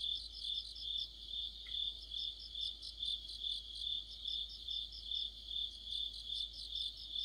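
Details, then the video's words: High shrill cricket chorus on an autumn night, a constant ringing trill overlaid by quick rhythmic chirp pulses repeating steadily, many insects blending together. "가을의 한 복판 곤충들의 합창"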